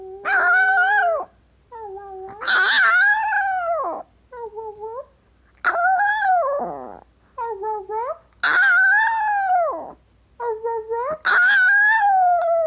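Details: Howling and 'talking' by a female pet Chihuahua: a run of long howls mixed with short, bent, yodel-like yips and whines, about every one to two seconds, rising and falling in pitch.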